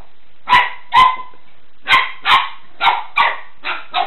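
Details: A female Golden Retriever, playing and trying to grab a floor cloth, gives her first barks: short, sharp barks in pairs with brief pauses between each pair.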